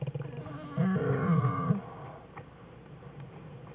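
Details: Black bear cubs playing in their den with their mother, February 21, 2013; a short, loud, low, rough wail of about one second rises and holds, then fades into a quiet, humming background.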